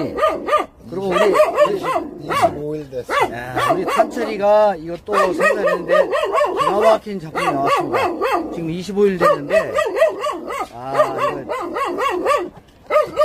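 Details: Several Jindo puppies at a Korean national dog association yelp and whine almost without pause. The notes are high, arching and overlapping, and human speech is mixed through the chorus.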